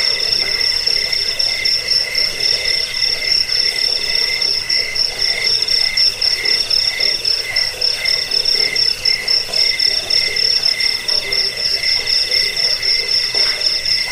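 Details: Cricket chirping, offered as a sound to repel rats, aid sleep and train birds: a dense, high, shimmering pulsed trill that runs steadily throughout, with softer lower pulses beneath.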